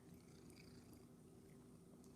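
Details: Rescued Domestic Shorthair cat purring indoors while practicing tricks: a low, steady rumbling purr that holds evenly for the whole stretch, with faint room hiss and no other clear sounds.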